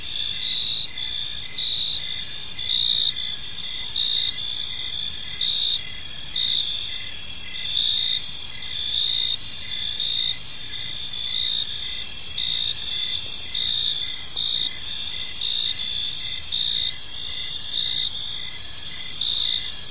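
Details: Evening cricket chorus in a peaceful park: dense high-pitched trilling with rhythmic chirps pulsing under a second apart, layered callers overlapping, soft low environmental hum beneath.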